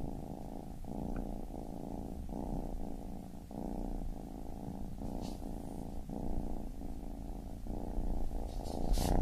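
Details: Baby kitten purr, a low continuous rumble swelling and breaking with each breath roughly every 0.8 seconds, plus a few faint light clicks near the end.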